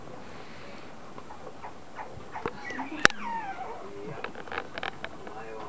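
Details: Male apricot Toy Poodle puppy aged 49 days, at a breeder in Chiba, Japan, gives a short series of high whining whimpers that slide downward, with a sharp click and human voices alongside.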